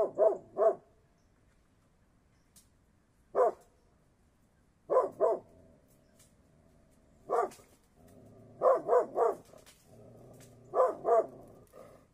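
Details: Mountain Cur, an American hunting dog breed, barking in short bursts of two or three quick barks, with pauses of one to three seconds between bursts; a faint low background rumble runs through the later part.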